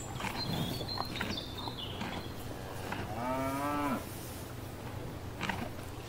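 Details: Cow grazing in a field gives a single rising moo of about a second midway through, surrounded by noisy rustling, scattered clicks and faint bird chirps.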